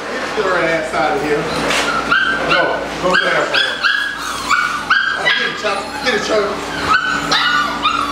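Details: Eight-week-old Malinois puppies yelping and whining in quick, high, overlapping bursts, several voices calling over one another against a steady low hum, with human speech mixed in.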